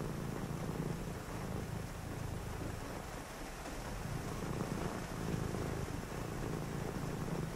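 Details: A cat purring near someone reading on a rainy night: a soft, low vibrating rumble that dips briefly mid-clip and then resumes in steady breath cycles, with gentle rain noise throughout.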